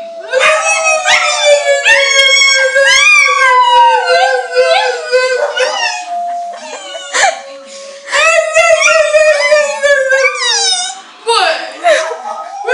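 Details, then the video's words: Pet dog crying together with a person, sustained wavering howls bending up and down in pitch, two long bouts separated by a short pause, human vocalising mixed in. "My cute dog crying with me."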